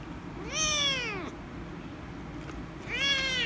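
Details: Angry rescue kitten meowing loudly when petted: two loud, harmonic-rich meows, the first long and arching downward in pitch, the second starting after a quiet pause of about one and a half seconds.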